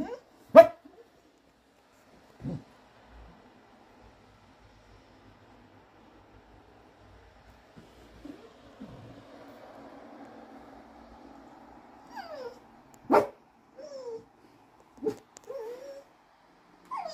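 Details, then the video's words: Curious English Cocker Spaniel on a rainy day in France gives a few sharp, isolated barks, the loudest near the start and around thirteen seconds, between soft drawn-out whines and short falling whimpers in a quiet setting. "Curious dog 🐕 English Cocker Spaniel barking"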